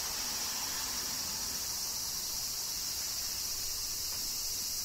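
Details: A summer-rain cicada chorus from Kyoto, Japan forms a continuous hissing, high buzz with even loudness throughout and no distinct pauses or separate calls.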